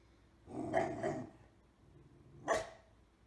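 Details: Pit Bull in a funny pet compilation giving two short broadband barks, a double bark near the start followed after a pause by a single sharper bark, over a quiet background.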